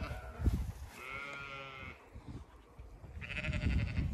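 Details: Sheep on a regenerative farm in County Kilkenny, Ireland, shut in for a few hours and expecting to be let through, bleating twice: drawn-out harmonic bleats around a second long, separated by a pause, over low rumbling handling noise.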